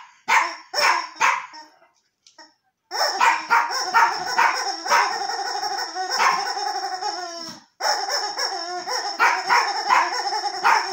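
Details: Yorkshire terrier named Archie meeting a new toy: a few sharp yaps, a short silence, then a sustained stretch of wavering, howl-like vocalizing broken by a pause before more rapid barks.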